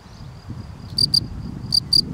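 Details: Field cricket, Gryllus campestris: two high, shrill chirps, each made of two quick pulses, with a faint rumble beneath.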